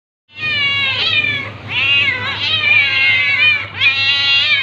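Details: Tabby cat attacking a ginger cat, with drawn-out, wavering harmonic meows and yowls running almost continuously for four seconds, rising and bending in pitch, with a steady low hum beneath.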